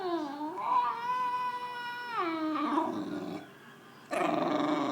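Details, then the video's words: English Bulldog, frustrated and jealous of its owner's dinner, pouting on a couch: long drawn-out tonal whine that rises then holds steady for about two seconds, drops into a lower wavering moan, brief pause, then a fresh whining cry. "Frustrated English Bulldog Makes Funny Noises"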